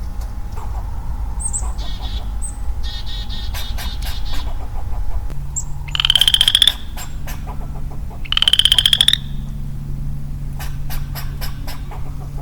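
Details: Solitary male western chorus frog calling in woodland in early spring, 4 April 2022. Scattered bird chirps and clicks lead in, then two rapid, upward-sweeping pulsed trills sound roughly two seconds apart over a low steady hum.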